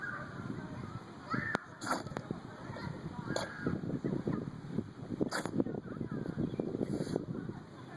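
An English Bulldog sneezes in a rapid burst of sharp, wet explosions to clear its nose.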